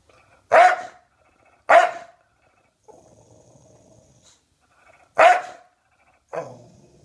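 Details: Maxwell, an English Bulldog, barking and growling on a sofa indoors: three loud, harsh single barks about a second or more apart, with low rumbling growls between them and after the last bark.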